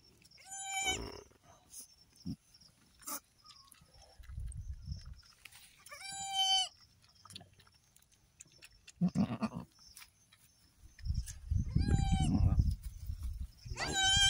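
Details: Farm goat giving birth to three female kids: several loud harmonic bleats at about 1, 6, 12 and 14 seconds, separated by low murmuring human voices, with a faint steady high tone throughout.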